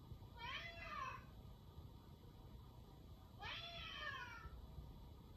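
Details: Indoor cat meowing, two separate meows about three seconds apart, each short, bright and slightly falling in pitch, over a constant low hum.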